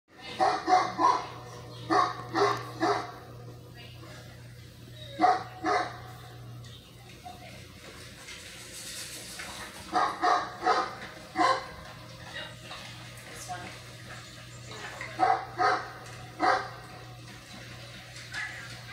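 A Great Dane gives deep, booming barks in short bursts of two or three, with a voice nearby.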